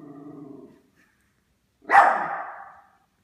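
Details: Yorkshire Terrier indoors at Christmas, confronting a hanging stocking: a low, buzzy growl lasting under a second, a brief pause, then one loud, harsh bark that fades away.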